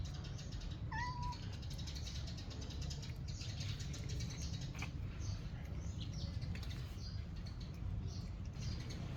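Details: Cats eating their food in the morning; a single short, level meow rings out about one second in, then only a steady low rumble with faint clicks and rustles continues for the rest.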